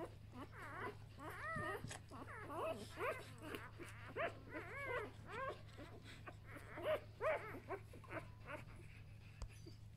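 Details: One-day-old Samoyed puppies of a B litter squeak and whimper in a rapid, irregular series of short, bent, high-pitched cries, several overlapping, with a steady low hum beneath and brief German speech.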